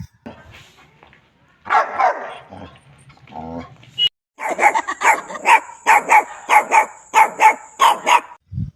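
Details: Puppy barking in rapid, fairly even series, about ten bright barks in a row after a brief mixed stretch of lower, voice-like sounds and rustling.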